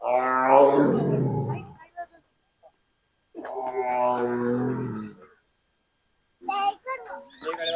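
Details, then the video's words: Captive tiger at Bannerghatta Biological Park zoo giving two long, throaty, harmonic roars a few seconds apart, each swelling then fading, followed by people talking nearby. "புலி கர்ஜனை"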